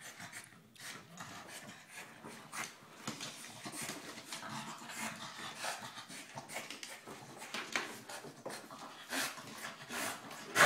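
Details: Dog attacking a giant tennis ball it cannot bite into, panting in quick irregular breathy bursts amid thumps and scraping of the ball indoors, with a loud knock at the very end.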